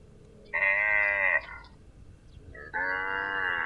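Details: Two sustained cow moos, each just under a second long, steady in pitch and rich in harmonics, separated by a short quiet gap.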